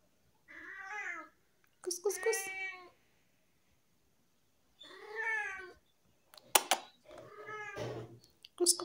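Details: Vocal tabby pet cat indoors makes a run of loud, wavering meows, some rising then falling, separated by short gaps, with sharp clicks and knocks between calls.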